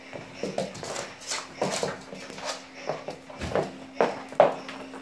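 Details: Max, a Cavalier King Charles Spaniel puppy, plays with a balloon indoors at home, giving short high yaps and whimpers in quick irregular bursts about every half second, over a steady low electrical hum.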